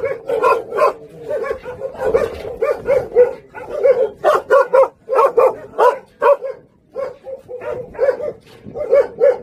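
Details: At a kennel on Jindo, the Song Baekgu brother Jindo dogs bark in rapid, evenly spaced volleys of sharp mid-pitched yaps, pausing briefly before starting again.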